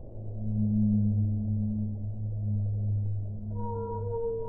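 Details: Whale singing underwater: a deep, resonant, layered moan sustained throughout, swelling and fading slightly, ending with a higher clear tone that slides upward, over steady low water hiss.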